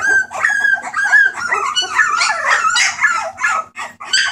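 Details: A litter of rescue Bulldog puppies, recorded 28 March 2014, whining loudly: long high-pitched tonal whimpers that waver and bend in pitch, several voices overlapping almost without a break, with a low hum in the background.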